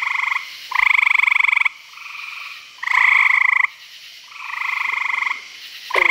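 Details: Night chorus of frogs at a Virginia pond. Loud, grating, pulsed trills last around a second each. Nearer and farther frogs alternate, and a fainter caller fills the pauses.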